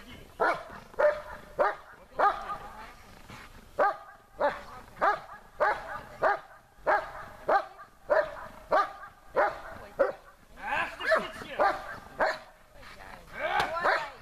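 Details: Besser, a German Shepherd, barking at the helper during a protection-training exercise made more difficult; a regular run of sharp, forceful barks, roughly two each second, growing rougher and more crowded toward the end.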